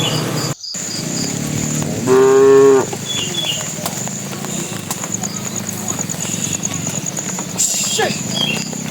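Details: Bull among a tame herd heading to the pen, calling the cows with a single strong, even moo of about a second, followed by low murmuring, insect-like buzzing and scattered high bird chirps.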